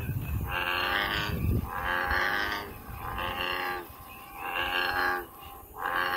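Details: American bullfrog calling in the wild, a deep droning, moo-like note with stacked harmonics, repeated roughly every one and a half seconds in five long pulses, with a low rumble of background noise.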